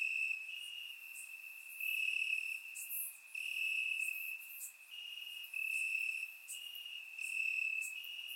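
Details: Crickets chirping in grass on a warm summer night in Bulgaria, recorded with a surround microphone: a steady high trill with rhythmic pulses swelling and fading every second or so, plus brighter higher-pitched chirps from other insects overlapping.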